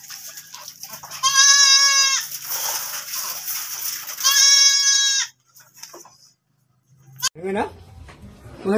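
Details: Goat that has given birth again, two long, loud, quavering bleats about three seconds apart, followed by quieter scattered sounds and brief rustles.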